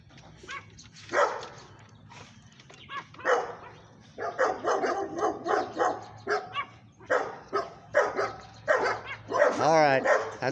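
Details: Several Staffordshire Terrier mix dogs that attacked a pomeranian bark repeatedly, loud broad barks about every half second in the second half, with a man speaking and a rising whine at the end.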